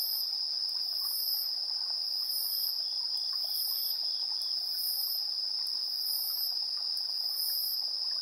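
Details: Insects singing in the evening, 7:04 PM on 3 September 2022, TASCAM Portacapture X8 recording: a continuous piercing trill overlaid with rhythmic, very high buzzy bursts recurring about once a second, steady and uninterrupted throughout.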